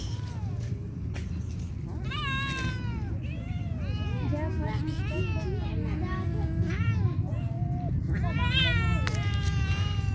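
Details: Several street kittens quarrel after being fed, one screaming constantly: overlapping loud, wavering meows with rising and falling arcs, packed closely together, over steady low rumbling background noise.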